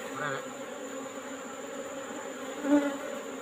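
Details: Wild Asian honey bee colony (Apis cerana) in a rock hole, being collected in the afternoon: a steady low hum with even tonal bands, unchanging throughout, with a brief louder knock near the end.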